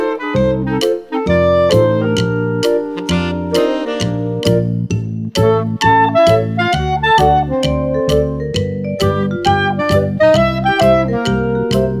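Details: Lively instrumental tune with woodwind and piano-like notes in a quick, steady beat, and no animal voice heard.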